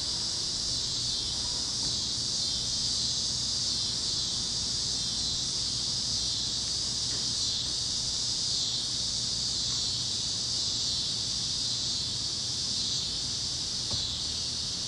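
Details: Continuous high, shimmering insect drone from cicadas over the fields of Kansas at sunset, warm evening on the plains; the dense chorus swells and dips only slightly, with a few faint clicks and low background rumble.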